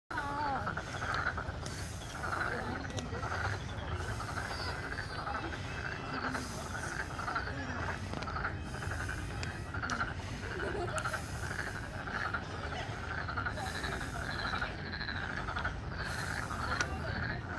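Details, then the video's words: A dense spring chorus of frogs in Bupyeong Park, Korea, many voices croaking and trilling together without pause. "Korea Frog Sound 개구리 소리"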